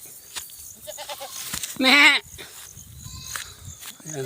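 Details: Goat being herded in a farm field in the countryside, giving one loud, quavering bleat lasting about half a second, wavering in pitch with rich harmonics, between stretches of a man talking and soft background noise.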